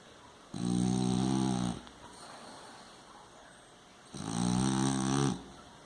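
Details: French Bulldog snoring at rest: two long, loud rattling inhalations with a buzzy, layered tone, each lasting about 1.3 seconds and roughly 3.5 seconds apart, separated by quieter breathing, over a faint steady hum.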